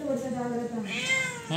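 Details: Demanding pet cat, described as rowdy, gives drawn-out meows that slide downward and then lift, with a human voice talking over them in a small room.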